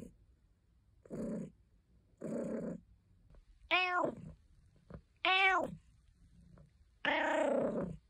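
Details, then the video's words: Cat Caesar von Schwanheim, a pet, purring and complaining: two short muffled calls, then three clear arched meows and a final longer, strained wail, spaced roughly a second apart. "Caesar meowing Compilation 01 | Cat Sounds | purring and complaining"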